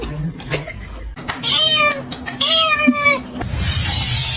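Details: Domestic cat giving two drawn-out, slightly falling harmonic meows about a second apart, with a brief sharp knock between them and low background hum and noise at the end.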